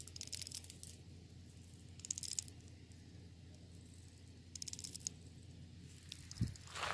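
Termites making short bursts of dry, crackling rattles that come in bouts every couple of seconds.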